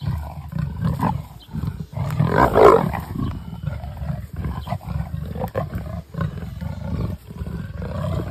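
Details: Two territorial female leopards, the Nkoveni and Three Rivers females, fight after escalating territorial displays, with harsh snarling roars and growls peaking in a loud burst midway.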